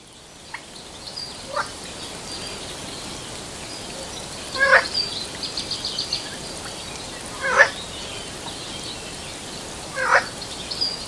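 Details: Frog in Sri Lanka calling with short, sharp clicking croaks, bursts roughly every three seconds with fainter clicks between, over a steady hiss of background noise.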